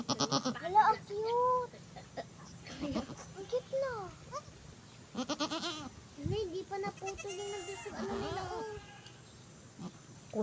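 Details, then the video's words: Goat that has just given birth, giving several quavering, rising-and-falling bleats in quick succession while people converse close by throughout. "nanganak na Ang kambing"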